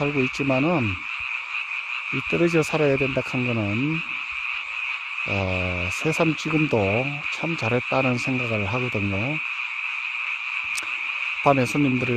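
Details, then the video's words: Frogs heard at night in a mountain village, only at this time of year; rasping low croaks in irregular clusters, some short and clipped, others drawn out and wavering, above a steady high droning chorus. "개구리 소리"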